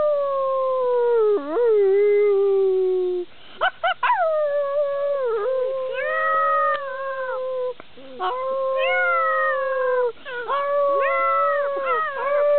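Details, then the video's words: Five-and-a-half-week-old solid black German Shepherd pups howling together during play, October 2009: sustained wavering howls, several voices overlapping, with quick yelps and pitch dips breaking the drawn-out notes. "pups romping and howling"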